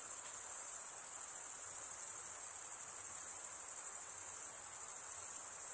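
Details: High, thin chorus of chirping crickets, the males rubbing their wings to stridulate; an unbroken, fast-pulsed ringing tone holds steady throughout.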